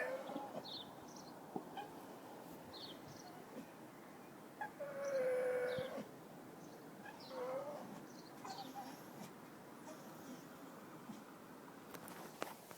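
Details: A lonely dog cries with one long, level, high whine lasting about a second. A shorter, softer whine follows two seconds later over quiet background noise.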